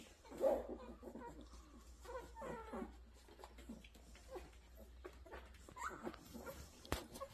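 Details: Rottweiler dogs at a kennel, giving short harmonic whines and whimpers, some rising and falling, scattered through the recording with soft shuffling and indoor room noise.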